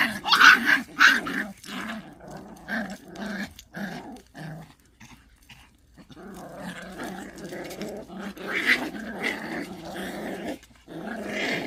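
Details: Rank fight between Pungsan dogs: two loud snarling bursts open, followed by steady rumbling growls broken by short pauses and another flare of harsh snarling near the end.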